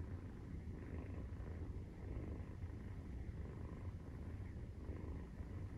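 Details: Maine Coon purring while nursing, kitten 43 days old; deep continuous rumbling with gentle rises about every second and a brief dip partway through.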